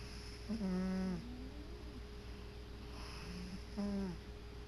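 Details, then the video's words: Male pet cat asleep on his favorite chair, snoring: two low, buzzy, droning snores, one near the start and another after about three seconds, each with a slight falling pitch, over a steady indoor hum. "Sleeping, snoring kitty"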